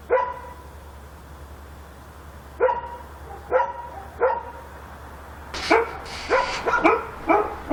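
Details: In Korea at night a dog gives spaced single barks about every half to one second, breaking into a quicker cluster of louder, harsher barks near the end; a steady low hum runs underneath.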